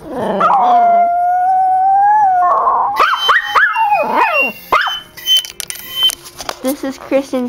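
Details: Pet dog howling along as flute and piccolo play: a sustained, slightly wavering tonal note for about two seconds, then sliding, bending howls mixed with bright flute notes and short higher yips near the end.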